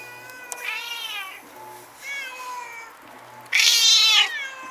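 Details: Stray cats squaring off in a nighttime fight, recorded on a Nikon Coolpix S01. Moderate wavering yowls slide up and down, then give way to one sudden, much louder, harsh rising yowl near the end.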